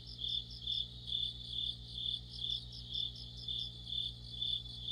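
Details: Crickets and fellow insects in an autumn chorus near a streetlight, giving evenly spaced high chirps a little over twice per second over a steady low hum.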